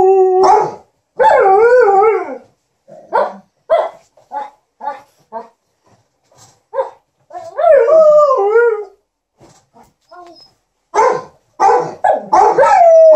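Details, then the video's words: Liza the Alaskan Malamute and TJ the Golden Retriever keep their ironing owner company with "talk": a stream of short yips and grumbles broken by several wavering, undulating howl-like phrases, ending on a rising cry. "Alaskan Malamute and Golden Retriever are entertaining their hu-mum"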